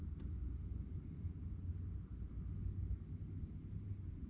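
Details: Crickets chirping at night in a high, rapid pulsed rhythm that fades briefly mid-way before resuming, with a short click near the start and a persistent low rumble beneath.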